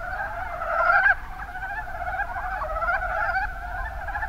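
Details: Mountain brown frogs in the Kuma Basin, Kumamoto, Japan: one loud close croaking run ends abruptly after a second, then a quieter continuous chorus of chuckling calls from several frogs.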